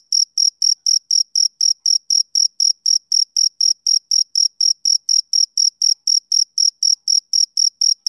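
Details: Male cricket on a summer evening giving a regular train of sharp, high-pitched chirps, about four each second, strongly rhythmic with silent gaps between, nothing else audible.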